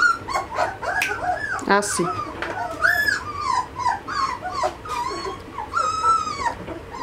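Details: Malinois puppies from one litter, two and a half weeks old, whining together indoors: many high, wavering, bending whimpers overlapping in quick succession, with a person's voice briefly heard among them.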